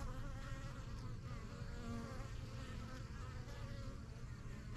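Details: Backyard honey bee hive, the yellow box and strongest of a first few hives from spring 2023, bees flying in and out; thick steady hum with wavering overtones as individual bees buzz past.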